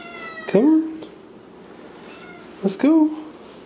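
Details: Sphynx cat named Pippin, kept indoors as a pet and coaxed to come along, gives two short meows about two seconds apart, each a bright harmonic cry that rises then falls, with a person speaking softly between them.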